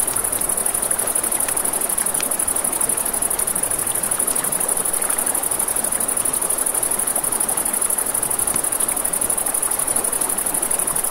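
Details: Crickets at night beside a river, a steady high-pitched pulsing trill running unbroken throughout, over a broad rushing wash of flowing water with scattered sharp pops and crackles from a campfire.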